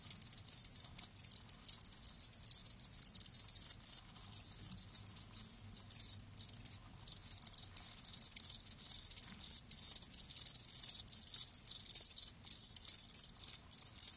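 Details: Live crickets chirping steadily in a high, shrill band, dense overlapping pulses with brief gaps, several callers blending into a continuous trill; no other sounds.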